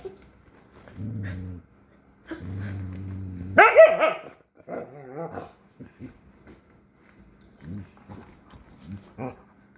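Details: Jack Russell Terrier puppy growling in two low rumbling bursts, then a sudden yelping bark with wavering whines and scattered short grunts and soft huffs.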